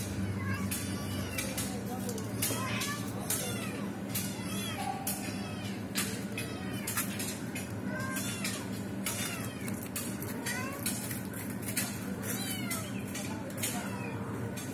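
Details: Mother cat attempting to free a trapped kitten; many short arched meows repeating roughly every second, with sharp clicks and knocks throughout and steady low hum beneath.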